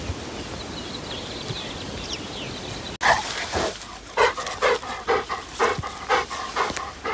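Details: Labrador Retriever on an outing to the Sylvenstein reservoir in Bavaria, where it retrieved a lighthouse toy that later broke; after three quiet seconds comes a run of short, tonal whines or yelps, roughly two per second.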